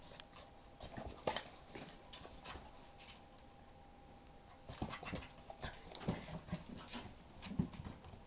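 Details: Two playing dogs, Mitzie, a 3-month-old English x Olde English Bulldog puppy, and Chonny, a 10-month-old Basset Hound x Pug, tussling as Mitzie chases his tail; short low growls and whines come amid scuffling paws and clicking claws.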